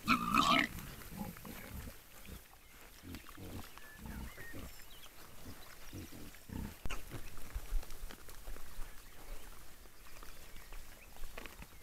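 Wild boar giving low, rough grunts in quick irregular bursts, with a louder squeal at the start.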